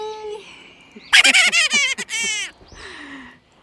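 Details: Coyote calling near a ravine on a snowy winter day, heard from a backyard: a steady low wail, then a loud burst of high, rapid, wavering yips and howls lasting over a second, ending in a fainter falling howl.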